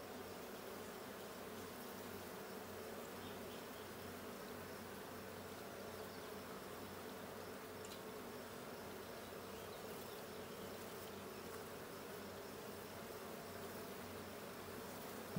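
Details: Hive check at the blue hive on 6/20/22, where the honey bee colony hums in an unbroken low buzz that stays level throughout, with a faint tap at the very end.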